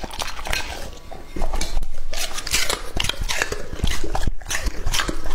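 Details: Raw meat being eaten by Lucky, a male English-type Labrador Retriever aged two and a half, recorded closely indoors: uneven wet bites and crunches, quieter at first, then louder clustered chomping.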